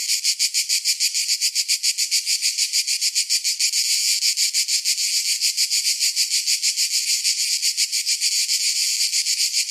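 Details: Shrill summertime cicada song, a wall of high buzzing that rises and falls in quick rhythmic throbs, around three and a half per second, without other sounds.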